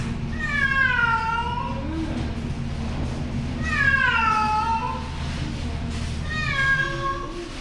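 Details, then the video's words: Frightened island cat on Hongdo, South Korea, crying nonstop in the anaesthesia room of a temporary clinic during free neutering surgery in June; three long, drawn-out wailing meows, each bending downward at the end, about three seconds apart, over a steady low hum. "겁먹은 고양이가 울음을 멈추지 않자"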